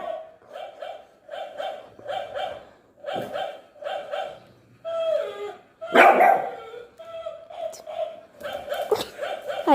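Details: Shih Tzu dog fighting with a toy dog, giving high, tonal yapping barks in steady runs about two per second, with a louder, rougher burst near the middle and scuffling noises.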